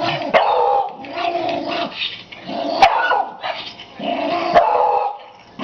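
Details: Old Toy Poodle turning senile, growling and barking in bursts of about a second each, rough snarling sounds broken by short sharp yaps, with gaps in between.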